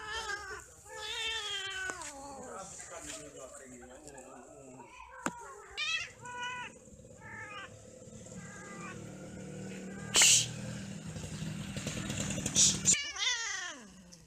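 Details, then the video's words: Cats mating and quarrelling trade a rapid series of harsh, rising-and-falling meowing wails, then sharp, clipped calls, with a sustained low moan underneath and a few loud clattering bursts. "8 Kucing lagi Kawin ,Cat merried , Cat playing, Cats mating, Cats quarrel"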